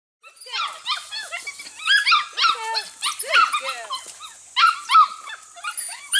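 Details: Registered Border Collie pups, 6 to 8 weeks old from two litters, working goats for the first time in 2019; several high, harmonic yips and squeaky barks overlap in quick, irregular bursts, with continuous shrill chorus and no pause.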